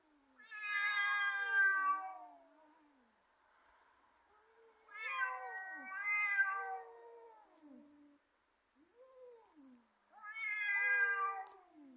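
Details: Fighting pair of cats trading three long, moaning yowls that bend up and down in pitch, with lower growling murmurs in the pauses between them.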